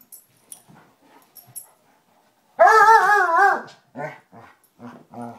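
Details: A Basset Hound playing with a new puppy, Ranger, during rough housing: after soft rustling, one loud wavering baying howl lasting about a second, followed by three shorter low barking grunts.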